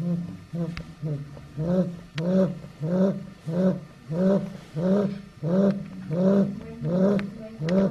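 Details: Eight-week-old female Chow Chow puppy snoring in her sleep, with low, raspy, throaty breaths repeating about every two-thirds of a second in an even, pulsing rhythm and a few faint clicks in the background.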